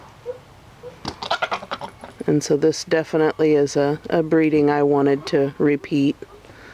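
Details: Nigerian Dwarf goats during breeding time: a run of loud, quavering bleats follows one another closely for about four seconds, after a stretch of human speech at the start.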